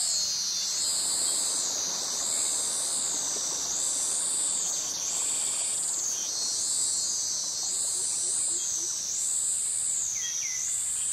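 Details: Jungle cicadas, males calling to attract mates, in a tropical forest near mangroves in Krabi, Thailand. A dense, high-pitched droning buzz that rises and falls in regular surges roughly every one and a half seconds throughout.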